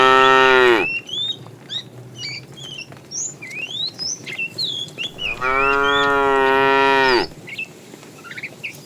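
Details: Herd of tame cows walking neatly along a road, looking for food. Two long, loud, droning moos, one at the start and one near the end, with busy high bird chirping and twittering between them.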